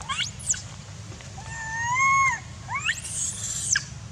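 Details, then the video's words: Jinx, a young monkey at Angkor, Cambodia, cries as her angry mother weans her: a drawn-out, slightly wavering whine lasting about a second, then quick rising squeals, over a constant low rumble. "Jinx Shout Cry Near Stone Angry Mother Weaning Her"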